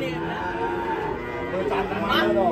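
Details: Cow in Indonesia, rampaging after coming down from a truck and falling into a ditch, gives a drawn-out harmonic moo with a slight fall in pitch; people talk in the background throughout.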